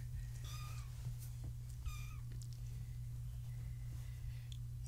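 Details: Domestic cat kittens born in March 2017 with their tabby mother at bedtime indoors, giving a few short high mews, two clear ones early on, over a steady low hum, with a woman speaking softly nearby.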